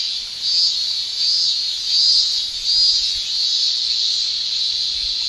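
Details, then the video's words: Japanese summer cicada chorus from males sounding their tymbals, a steady shrill high-pitched drone with gentle pulsing surges in loudness about once a second. "Japan Summer Cicada Shrilling"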